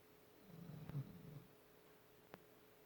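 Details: Sleeping pet dog snoring: a single soft, low rumbling breath lasting about a second, then one faint click in a quiet indoor room with a steady faint hum.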